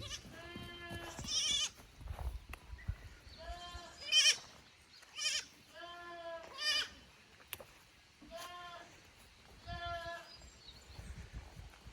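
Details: Young goat kids on a handmade goat farm in Japan, 15 May 2024, brought from the lower pasture to the upper one and unsettled in the unfamiliar place; repeated wavering, nasal bleats about every two seconds, some higher and shriller.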